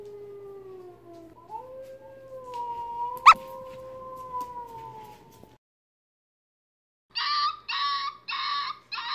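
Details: Howling heard by a rescued Labrador retriever mix puppy on first exposure: a drawn-out, wavering howl for about five seconds with a sharp click midway, then silence and a few harsh, clipped bursts.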